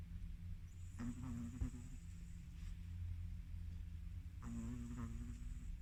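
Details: Sleeping Chihuahua dog in deep sleep, snoring repeatedly: two raspy, buzzing snores about three and a half seconds apart, each lasting under a second, with a steady low hum beneath.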